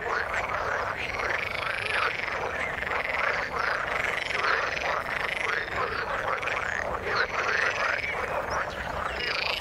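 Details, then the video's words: Chorus of frogs in the water: many overlapping pulsed croaks repeated rapidly, a constant mid-pitched trilling wall with scattered higher chirps and brief whistles on top. "Frog sound in the water"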